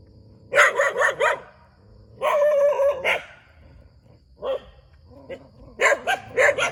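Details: Dog barking beside a rubber plantation in Thailand: bursts of three to four rough, harmonic barks, then a longer drawn-out bark, a single short woof, and another rapid string of barks.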